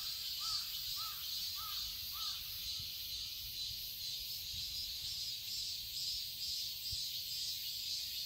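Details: Cicadas in a summer garden in Seoul, Korea, sustaining a high, grating drone with a light regular pulse, while a bird gives four short, evenly spaced arched calls in the opening seconds.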